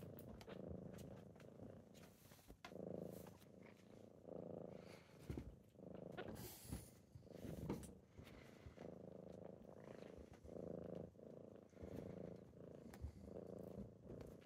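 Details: Purring kittens waking someone up on a typical morning; a rumbling purr pulses in breath-length waves, overlaid with rustling of bedding and a couple of brief hissy noise bursts.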